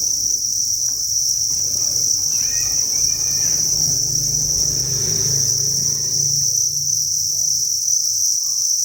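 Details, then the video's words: Thousands of farmed crickets in a breeding facility keep up a steady, shrill, high chirring chorus, overlaid by low rumbling and a few faint brief tonal sounds early on. "Cricket Chirping Sound"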